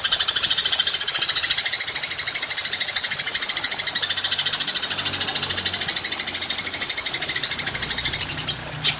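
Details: Continuous high, rapidly pulsed trill from a golden grasshopper (belalang emas), recorded as songbird training material in the 'tembakan' shooting style, holding steady for nine seconds over a faint low background rumble.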